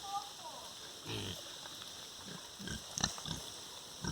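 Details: Farm pigs, a sow with her little piglets: short, low nasal grunts in a cluster, then several more scattered grunts, with a brief higher squeak early on and steady background hiss.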